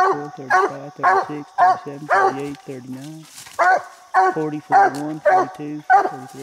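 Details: Coonhound Bandit at a little tree holding a treed raccoon, barking steadily about twice a second with rich, harsh harmonics, the chop nearly continuous through the clip.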